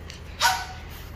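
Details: Dog belonging to golfer Jang Ha-na, in for grooming at the Byeolbit pet salon, gives one short, sharp yip lasting about a fifth of a second over a low steady background hum.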